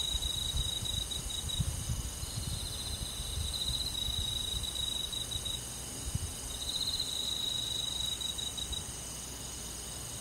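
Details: Crickets chirping on a summer night in a rural forest: a long, high, rapidly pulsing trill runs for about four seconds, a quieter gap follows, then another trill of two seconds, over a soft low hum.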